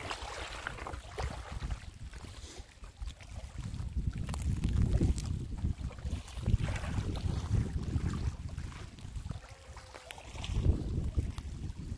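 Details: Low rumbling wind buffets the microphone outdoors by a lake meadow, with gusting surges and no clear animal calls.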